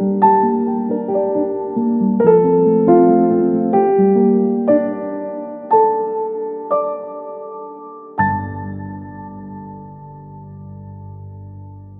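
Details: Gentle electric piano melody, slow notes ringing and fading into a sustained chord, with no animal voice.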